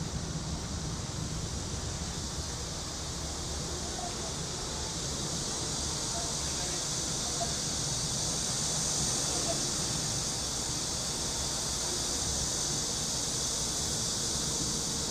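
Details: Cicadas give a steady, high, hissing drone over the low rumble of city traffic and faint voices, recorded on a summer day in a quiet back alley of a Korean city.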